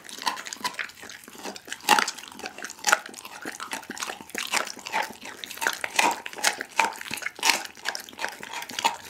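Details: Pit bull named Daggy eating a whole raw chicken, filmed on an Insta360 ONE R: irregular crunching and wet tearing, sharp bone cracks standing out around the second and sixth seconds, a small room's echo behind.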